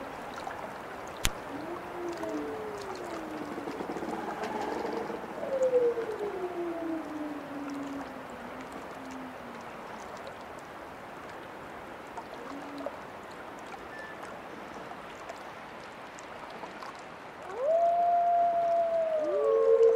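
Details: Wolf howls drifting in softly at first, faint wavering tones that slide downward, then a quiet gap before a strong clear howl swells near the end and holds, gently falling.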